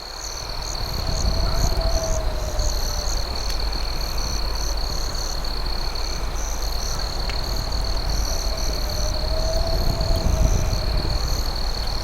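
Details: Crickets calling after dark near a crackling campfire, their shrill sustained trill and fast pulsed chirps steady throughout, with a faint soft whistle-like glide twice and a few crisp snaps from the flames.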